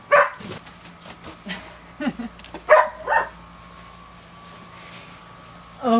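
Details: Two puppies, Reebie and Bear, playing in a kiddie pool: a handful of short, sharp yips and barks scattered through the clip, separated by quiet stretches, while people talk in the background.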